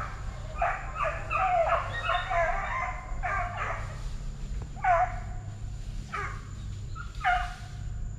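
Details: Plott Tan puppies, a Plott hound crossed with a black and tan coonhound, aged eight weeks to five months at TTG Kennels, give a quick run of short, harmonic bawls that dip and rise over a steady low hum.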